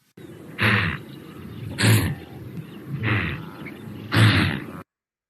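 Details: Wildebeest, an African animal, calling: four loud, low, rough nasal grunts, roughly one every second and a quarter, each a broad burst with a deep buzzing base, then silence.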